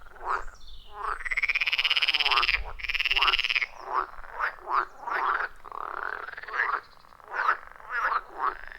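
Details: Loud chorus of wild frogs at a forest pond deep in the forest, recorded on a phone with an attached microphone: a long rising rattled croak, then many short nasal croaks overlapping from several callers in quick succession.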